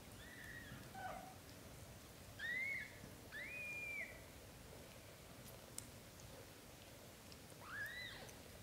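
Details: Indoors with British Shorthair mother cat Samel and her kittens, blue golden Lotus asleep in her arms as his brothers nurse: four clear high mews, each a short arching whistle-like cry, spaced a second or more apart.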